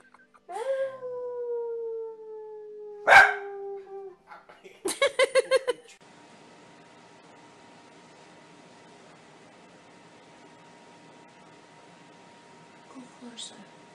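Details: Corgi producing a drawn-out, slowly falling whining howl, broken by one loud bark, then a quick burst of stacked yips, followed by a long, steady humming tone and a faint yelp near the end.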